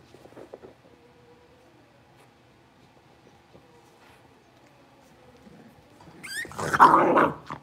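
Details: Young Blenheim Cavalier King Charles Spaniel puppies from a New Year's litter of five, moved into a larger pen indoors: a thin, steady whine early on, then a loud, rising yelping outburst near the end.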